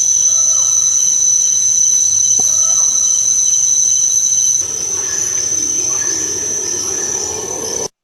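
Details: Crickets played as an example of an ecosystem's sound, each ecosystem having its own sound footprint: a steady, high, unbroken trill throughout, with a few faint short whistled bird notes early on; the level drops midway, then the sound cuts off.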